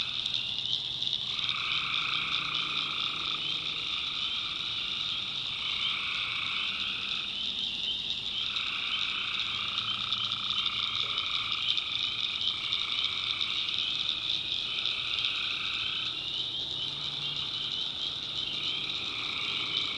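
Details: Night chorus of tree frogs in North Carolina backwoods: a constant shrill, shimmering trill overlaid by lower buzzy droning bursts, each lasting about two to three seconds and repeating steadily through the recording, with a soft low hum beneath.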